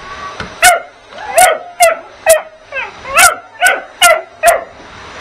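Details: A puppy gives high, sharp yapping barks about twice a second while attacking the vacuum cleaner as it is used.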